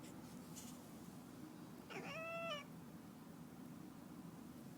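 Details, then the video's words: Domestic cat making a strange sound: a single clear, tonal meow lasting under a second, held level and then dipping slightly at the end, heard after quiet room hum with a faint rustle near the start. "Cat's strange sound"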